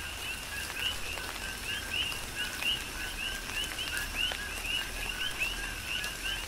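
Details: Coqui frogs chorusing in a tropical rain shower on Hawaii's Big Island, a rhythmic stream of short rising chirps from several callers, with raindrop clicks and a continuous rain background.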